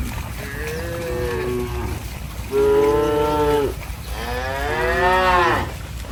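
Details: Cattle playing in mud give three drawn-out moos, the first softer and lower, the later two louder and bending upward, each about a second long, over a low steady background rumble.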